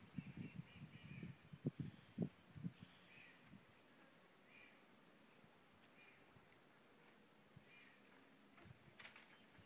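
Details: Howler monkeys at San Juan del Sur give deep, guttural roars in rough bursts, fading into quieter, distant calls.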